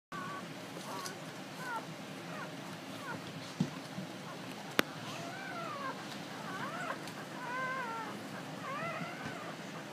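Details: Basset Hound (newborn puppies) (Canis lupus familiaris), whines.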